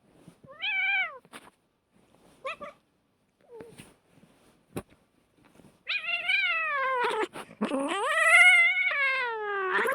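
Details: Domestic cat in a fight, giving short rising yowls early on, then a long wavering caterwaul with rich harmonics from about six seconds to the end.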